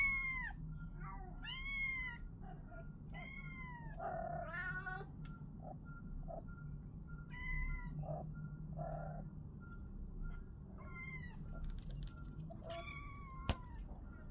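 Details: A group of kittens calling with bright, sharply arched meows in irregular bursts, louder early on, plus a few softer lower mews and a single sharp click near the end over steady low hum.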